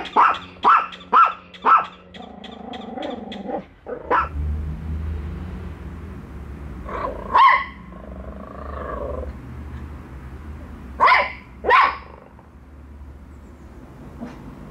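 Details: Pet dogs bark at a toy dog on their first meeting, one later accepting it while the other stays distrustful. Four quick barks open, then a humming pause with scattered single and paired barks.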